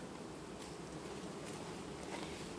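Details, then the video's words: Honey bee family quietly superseding its queen in August, recorded 18 August 2019; an even, dense low-pitched buzzing hum with a few soft rustling clicks. "Matca schimb linistit 2019, familie ce asi schimba matca , albinele in august"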